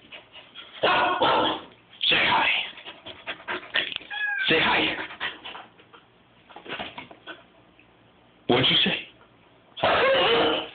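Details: Pet Siberian Husky being goofy in a bathroom, giving loud, short vocal bursts with wavering pitch, some bent and howl-like, spaced by quiet gaps, with faint room echo.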